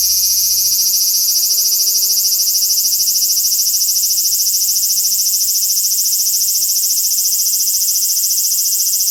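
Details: Summer cicada chorus recorded in 2020 in Japan, a loud unbroken high-pitched buzz with a fast even pulsing throb throughout, nothing else heard.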